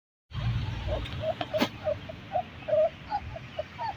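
German Shepherd puppies give a string of short, high yips and squeaky barks over a low background rumble.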